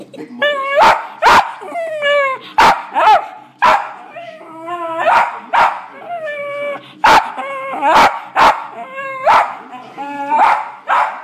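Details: A West Highland White Terrier barks at dogs on the television, giving sharp, repeated barks over voices and sounds from the TV.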